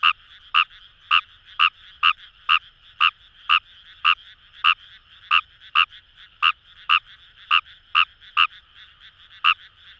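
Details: Wet rice fields beside the Kamo River, Itoshima, Fukuoka, Japan: Fejervarya kawamurai producing bright, percussive croaks about twice a second in a loose rhythm, set against a constant background of many distant frogs.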